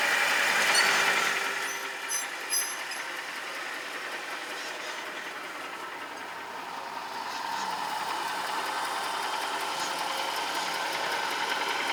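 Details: A steady vehicle engine hum and rattle, with no animal voices.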